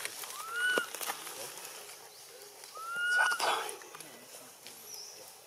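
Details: Baby macaque Anissa crying to her mother Anna for help against King Aron, Siem Reap Province: two drawn-out, arching tonal cries about two and a half seconds apart, with scattered clicks, rustles and background noise.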